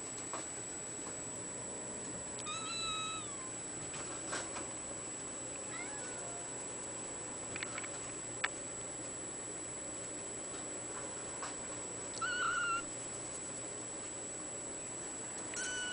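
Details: Bluepoint bicolor ragdoll kitten, a male, recorded 14 April 2013 at a cattery, gives two thin, high meows, the first wavering and drawn out, the second shorter and sliding down, amid soft clicks and a steady electronic hum in a quiet room.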